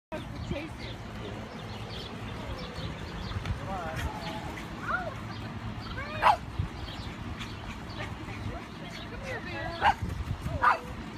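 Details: A Pekingese playing with a baby deer gives brief, sharp yips and thin whines every few seconds, loudest near the end, over human voices and a low rumble.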